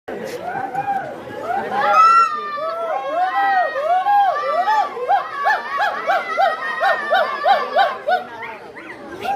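A monkey gives a rapid run of arched, squealing calls, each rising and falling, several per second.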